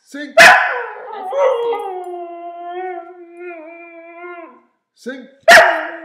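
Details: A 2-year-old female purebred Siberian husky "sings" a sustained, tonal howl that holds a steady pitch with slight wavering and rich overtones. Abrupt, loud yelps or barks mark the start and close, and she is then praised.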